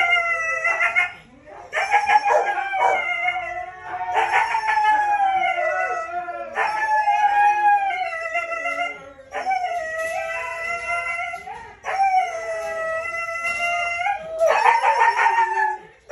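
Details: Siberian Husky, red-brown coat, at breeding time; long sustained howls in repeated phrases of two to three seconds, rising and wavering, with brief gaps between them and faint voices in the background.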